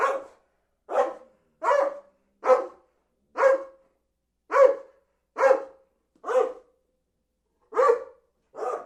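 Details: Repeated barking from a dog, ten loud, clipped barks at roughly one per second with a brief pause before the last two, clean and without other sounds.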